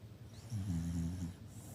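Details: Shiba Inu dog giving a hearty snore: one low, rumbling, throaty breath lasting under a second, layered in deep buzzy tones, rising out of quiet room hush and fading back.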